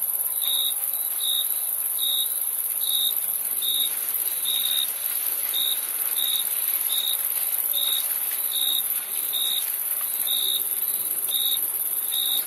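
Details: Regular high-pitched cricket chirps, short and ringing, repeat about every 0.8 seconds above a steady, piercing insect hiss with no other sounds.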